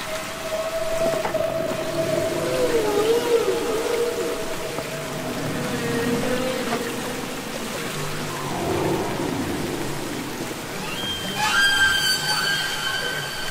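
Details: Humpback whale song underwater, from the Capitol Records ST-620 recording: faint steady tones with wavering glides, a mid-pitched groan, then a high rising whistle-like note near the end, all under heavy hiss.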